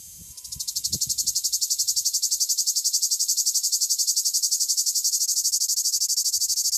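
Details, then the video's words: A male cicada in southern France starts up with a brief soft hiss, then swells into a loud, sharply pulsed high-pitched buzz, each throb repeating several times a second without a break; a few low knocks at the start. "Cicada singing"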